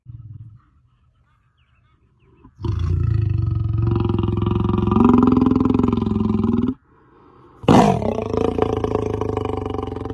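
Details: A wild lion gives a deep, sustained roar, then starts a second rough, powerful bellow after a pause.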